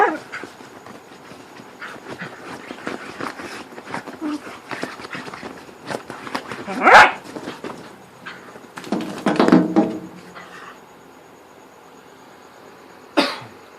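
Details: Playing in darkness, whippets give funny noises: soft grumbles and whines between scuffling sounds, a louder yelp near seven seconds, a cluster of growly barks around nine to ten seconds, and a final sharp cry; faint human voice.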